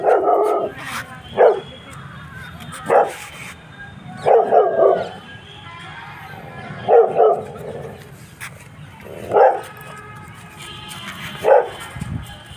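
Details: A Rottweiler barks at a buffalo, giving deep, loud barks singly or in short bursts every second or two.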